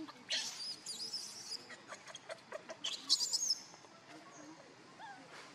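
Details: Hungry baby monkey Leo crying to his mother for milk: a rapid run of piercing, very high squeaks and chirps, loudest near the middle, fading into quieter rustles at the end.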